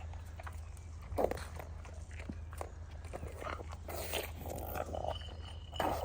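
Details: Pug eating kibble outdoors at lunchtime on a freezing, frosty day in London: noisy chewing and snuffling over its food, with wet clicks and short snorting breaths.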